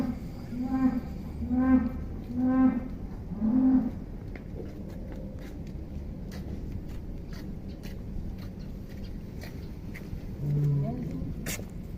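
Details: Giant cattle linked to Atta Halilintar, 2022, shown when young: four short, tonal lows follow each other about a second apart, then a deeper, single moo near the end, over a steady low rumble and occasional voices.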